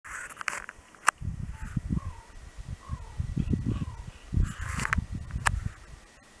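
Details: Wolverine growling: a series of deep, rough, low rumbling pulses in quick irregular bursts, starting after a sharp click and carrying on for several seconds, with faint high chirps and a thin steady tone behind.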